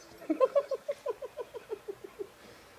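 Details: A female dog singing when mildly annoyed makes a quick series of about a dozen short yips, roughly six per second, fading in loudness toward the end.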